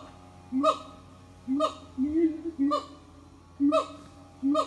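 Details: Siamang family singing in the morning at an eco-tourism farm; low booming notes each followed by a sharp bark, repeated about once a second.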